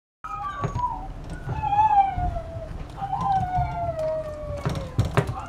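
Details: Chihuahua puppy giving high, clear whines that slide downward, several drawn-out cries in a row with faint knocks and handling sounds in the background.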